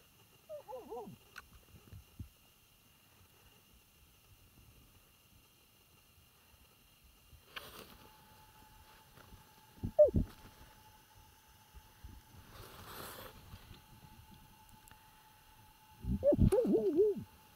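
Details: A European badger in its burrow in the Trans-Urals, in its natural habitat, gives short, low, wavering calls with a few bursts of rustling between them; it nearly bit a finger.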